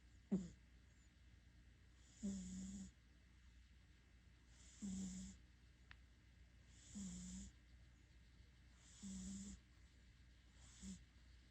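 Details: Domestic cat snoring while asleep, heavy and loud, in winter indoors beside its owner: low rasping snores repeating roughly every two to two and a half seconds, each a short rough rumble with a breathy hiss.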